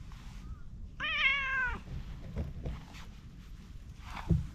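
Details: Orange tabby cat by a pond, enjoying being petted, gives one clear meow of under a second. The tone is steady and slightly falling. Low rumbling handling noise and soft thumps come before and after it.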